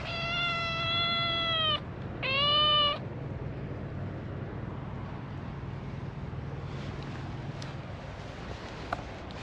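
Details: A calico cat on a Japanese cat island, a mother play-fighting with her kittens as training for life in the wild. A long, steady, drawn-out meow is followed by a shorter, bending one, then quiet rustling.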